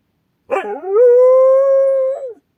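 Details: Single sustained howl from an Akita on watch, reacting to an unfamiliar sound outdoors; it opens with a wavering, rising onset, then holds a clear, level tone for about one and a half seconds before dropping off.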